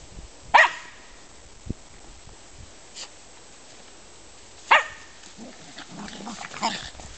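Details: Mittelspitz German Spitz playing: two sharp, isolated barks several seconds apart over quiet background, then softer yips and scuffling near the end.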